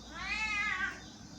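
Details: Pet cat's "ghost" meow directed at her owner, a short wavering wail that rises, peaks and bends downward, under a second long, with faint background music.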